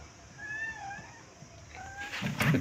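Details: A white cat running away calls with two drawn-out, slightly wavering meows, followed by a loud rustling burst of noise at the end.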